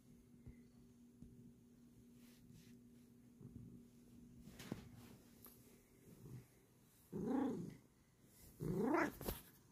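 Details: Bengal cat at bedtime indoors, giving two short, rising-then-falling meows near the end, about one and a half seconds apart, after a quiet stretch with soft rustling and faint background hum.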